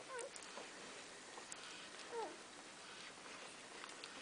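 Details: Golden Retriever puppies in their first week of life, nursing from their mother; two short, thin squeaky whimpers with a slight falling bend, about two seconds apart, over soft snuffling and suckling noise in a quiet room.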